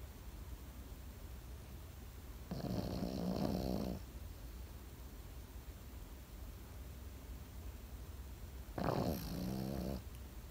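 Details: Pekingese dog asleep indoors, snoring in two long rasping breaths about six seconds apart, each a buzzy, ridged drone lasting over a second, with quiet breathing between.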